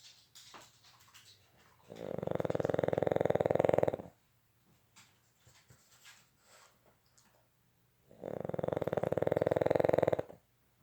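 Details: Sleeping Boston Terrier snoring in a small room, two drawn-out vibrating snores lasting about two seconds each, six seconds apart, with faint breathing and small rustling noises between them.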